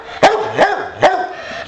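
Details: Pet boxer Bowser, wanting to play, lets out three quick sharp barks with short yelping tails, in a room where a television is on.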